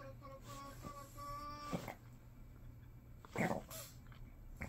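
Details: Mother Shih Tzu in a tantrum when called, holding a steady, high, nasal whine for nearly two seconds in short repeated pulls, then soft snuffles, while a woman speaks Korean nearby indoors.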